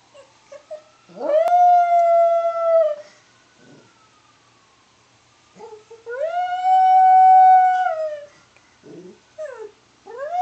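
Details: Domestic dog howling along to a passing ambulance siren: two long, steady, tonal howls, each held about two seconds with a slight fall at the end, separated by short yips and whimpers. A faint, gliding siren tone is heard beneath.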